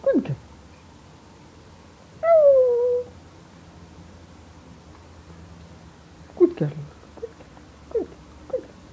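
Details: Siberian Husky Yorga welcoming its owner in the morning: one clear whistled whine sliding gently downward, later a few short soft yips, over quiet indoor background.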